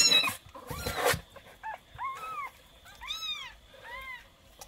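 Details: Kitten, 20 days old, giving a run of short, arched mews, about five in a row, each rising then falling, after a burst of rustling at the start.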